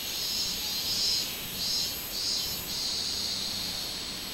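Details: Minmin cicada heard on 24 July 2016: a shrill, high buzz that swells and fades in quick repeated pulses, each surge lasting about half a second.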